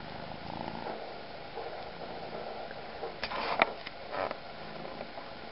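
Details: Catsanova, a kitten adopted through Kalamazoo Animal Rescue, purring close up: a steady, rough, pulsing rumble indoors, broken near the middle by a few brief sharp clicks and soft knocks.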